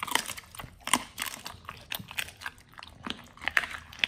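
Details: Pit Bulls eating a raw feeding combo of beef trimmed chunk, quail egg and duck wing, indoors: sharp wet crunches and bites in irregular bursts, several loud snaps near the start and end.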